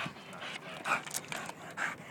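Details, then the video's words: Pet dog panting on playground swings, rapid breathy puffs in quick succession with a few brief higher squeaky notes. "Dog doesn't like swings"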